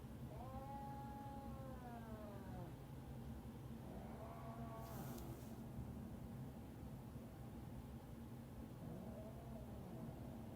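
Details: A domestic cat caterwauling as it refuses to be nice to another cat, its brother Pepsi: three drawn-out, wavering yowls that rise and then sag, spaced several seconds apart, with a low indoor hum underneath.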